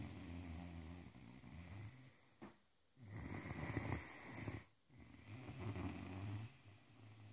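A Great Dane snores loudly in deep, rumbling breaths broken by brief pauses.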